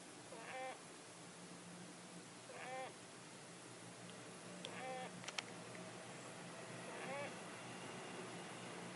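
A sleeping Syrian hamster snores with faint, squeaky wheezes repeated every two seconds or so.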